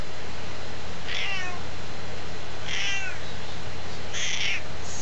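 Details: Female domestic cat, said to be about 16 years old and to talk a lot, meowing indoors: three short, high, bent meows about one and a half seconds apart over a steady low hum.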